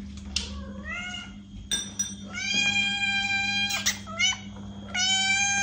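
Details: Several cat meows, a mix of a sliding, rising mew and longer flat-toned cries overlapping in quick succession, recorded to catch a cat's attention, with a constant low hum behind.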